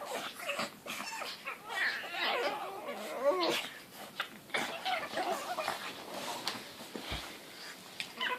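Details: Two young pugs, four months and two months old, playing together indoors: high whiny squeals and squeaky yips in bursts, some cat-like, with short grunts, snuffling and scuffling thumps between calls.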